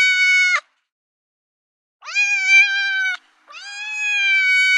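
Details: Cat in heat making mating calls: one short meow cut off, then two long, sustained wailing meows that rise slightly at onset and hold a steady tone with rich overtones, clean background.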